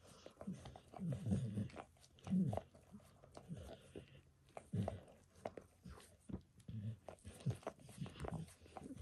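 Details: Indoors, the dog Max gives himself a spontaneous bath, licking his own paws and a nearby foot; low, moist lapping and slurping sounds arrive in uneven clusters in a small quiet room.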